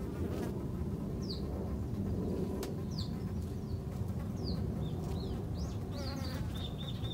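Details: Many Japanese honey bees at a garden hive make a thick, continuous low droning buzz, while small birds chirp short rising notes in the background and one gives a brief repeated trill near the end.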